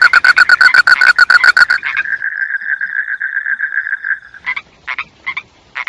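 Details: Frog sounds: a fast series of sharp clicking pulses, then a steady drawn-out trilling tone, followed by a few scattered rasping notes.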